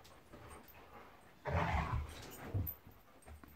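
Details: Play fight between Monty the Golden Retriever and Eric the Labrador: one loud rumbling growl of about a second, then a shorter grunting snarl, over quiet background hiss.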